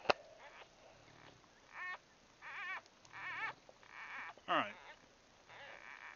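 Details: Newborn Bulldog puppies, about a day old, grouped in a birth nest, making short squeaky grunts and little rising whines in separate bursts, with a sharp knock at the start and quiet background hum.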